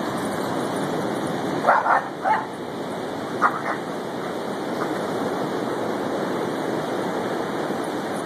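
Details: Boston Terrier Rowdy Joe, 7 months old, and German Shorthair Pointer Casey, 2 years old, romp in the waves at Lighthouse Field State Beach. A quick cluster of four barks, then two more a second later, before only the steady wash of surf remains.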